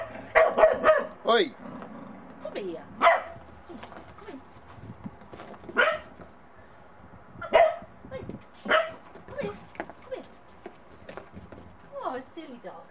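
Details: Bedlington Terrier puppy Monty, meeting snow for the first time, uncertain of a little snowman; a quick run of three barks opens, then scattered single barks and yips spread across the stretch, mixed with a person talking.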